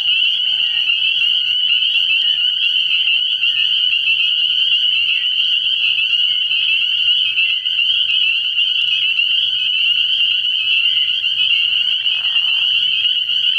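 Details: Spring peepers calling together from a frog pond at night early in the year: a dense, unbroken high chorus of overlapping shrill peeps, with a brief lower buzz near the end.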